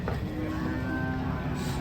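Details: Cow giving a short, steady, level moo with a buzzy harmonic tone, heard over background music and ambient noise.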